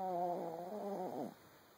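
A Boston Terrier snores, one drawn-out nasal breath with a buzzing, droning tone.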